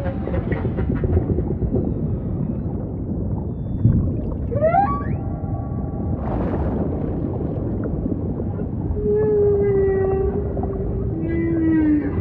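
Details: Humpback whale song with upward-sweeping whoops, a cluster of stacked harmonic tones, a brief noisy burst, then a long, smooth, slightly falling moan, over steady low underwater rumble.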